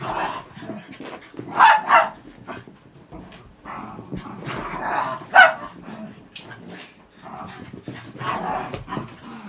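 Cairn Terriers growl and snarl during a fight, with sharp barks breaking out every few seconds.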